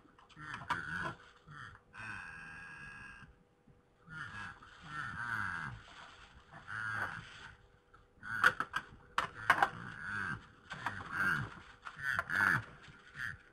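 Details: Fighting red deer stags recorded in Poland at night, 21:01 on 3 November 2017: deep, throaty grunts and moaning bellows in uneven bursts, mixed with loud sharp knocking clatters and brief pauses.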